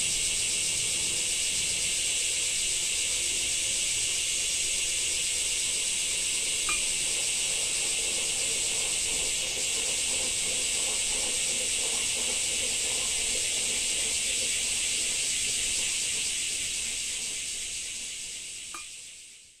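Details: Cicadas in summer in Japan keep up a steady, hissing high drone that holds for most of the recording, then fades away to silence at the very end.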